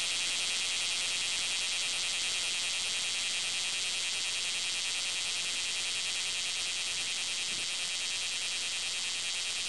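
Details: Bear cicada, known in Japan as kumazemi, singing loudly: a dense, harsh metallic buzz that holds steady for the whole stretch, rapidly pulsing and shrill, with no other clear sounds.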